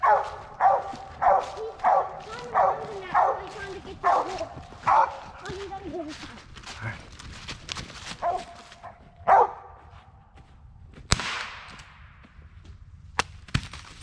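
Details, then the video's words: Original Mountain Cur squirrel dog barking steadily during a late-daylight squirrel hunt among black walnuts and hickory flats; a rapid run of about ten barks, under a second apart, then scattered barks, rustling and a few sharp knocks. "Squirrel Dog, Original Mountain Cur"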